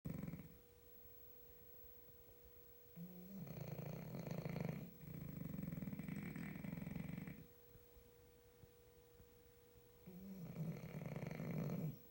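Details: Two French Bulldogs snore together at night in loud, low, rasping breaths, each lasting a couple of seconds.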